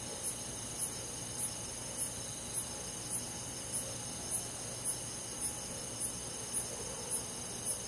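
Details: Summer-night countryside insect chorus with crickets: thirteen sharp, high-pitched chirps spaced evenly about 0.6 seconds apart ride above a continuous shrill background hum of other forest insects.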